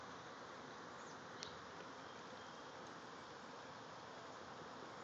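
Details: A honey bee swarm, the hive's third of the season, clusters about 20 feet up in a redbud tree with a steady, dense buzzing hum without pause.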